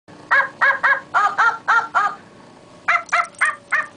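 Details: Fenley, a wire fox terrier, attacking a puppet he dislikes: rapid, harsh, harmonic barks in two bursts, seven in quick succession, then a short pause and four more, roughly four per second, over a quiet background.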